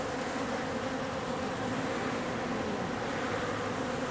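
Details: Swarm of wild bees, workers and drones in roughly equal numbers, at an industrial wall in mid-October; a thick continuous buzzing drone with layered harmonics, even in loudness throughout.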